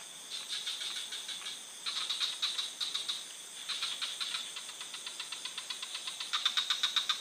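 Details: Frogs calling in a forest at night, a sleep-aid recording: rapid clicking pulses, about four a second, in bursts with brief pauses. A steady high insect-like hum runs beneath.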